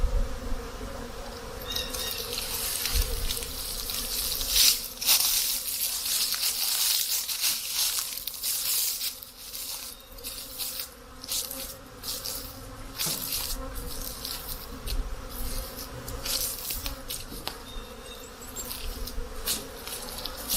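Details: Honey bees active at their hives on a mild spring day of melting snow, about 10 C; a steady drone sits beneath heavy crackling, hissing and tapping noises that come and go.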